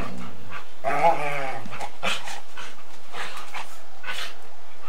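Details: A Golden Retriever and a Samoyed chase and mouth each other in bitey-face play, filmed on 8mm tape. A low, layered growl swells after a second, then fades, leaving scuffling noise and hiss.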